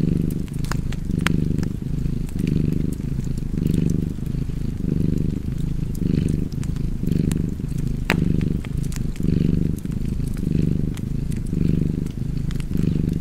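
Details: Continuous cat purring by a hearth, a throaty low rumble repeating in even breath cycles just under once per second throughout, accompanied by crisp, irregular fireplace crackles.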